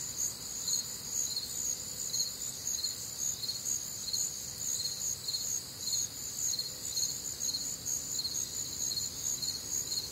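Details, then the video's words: Crickets and other nocturnal insects on a warm, humid Midwestern summer night: dense high pulsing chorus in stacked bands, chirps repeating about twice a second, with a soft low background hiss. "Night Time Cricket Sounds"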